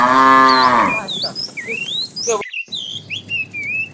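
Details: A short, loud moo of under a second opens the recording of a tame herd of cows wandering about in the morning looking for food, then gives way to high, twittering bird calls.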